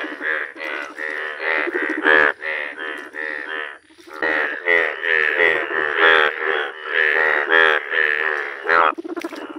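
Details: Yellow-coloured Indian bullfrogs in a steady chorus of loud, buzzy, harmonic croaks, bursts following each other closely, with one short lull near the middle before the calling resumes.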